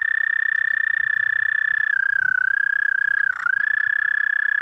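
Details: A toad sings after dark, 30 May 2014, 11:13 p.m. CDT. Its sustained high trill sags slightly in pitch midway, wavers, briefly dips again near the end, then steadies.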